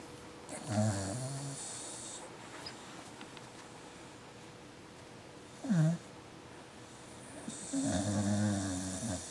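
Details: Tired, sleepy dog asleep yet active in its sleep, giving low harmonic snoring groans near the start and end with a brief snort in between, over quiet room noise.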